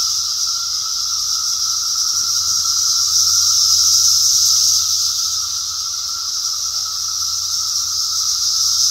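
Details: Cicadas in 2021 sing a steady, high, buzzing drone that swells slightly and never breaks.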